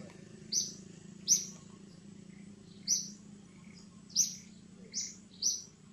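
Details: Six high, shrill cries from a baby monkey calling its mother, each a brief squeal about a second apart, over a low steady hum.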